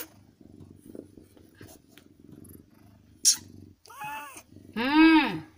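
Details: Newborn kitten, one of a litter of five born to an adopted street cat in India, gives a loud harmonic mewing cry near the end after a shorter squeak, with soft rustling and low background noise before.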